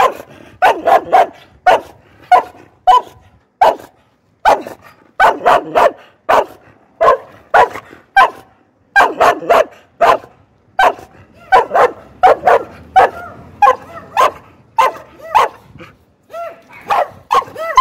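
Sharp, mid-pitched barks from an Australian Cattle Dog come in quick clusters of two or three. Brief pauses separate the bursts, and the barking keeps up steadily throughout.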